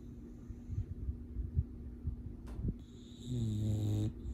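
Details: A male English Bulldog snores deep in sleep and dreams, deep rumbling breaths ending in a louder droning snort.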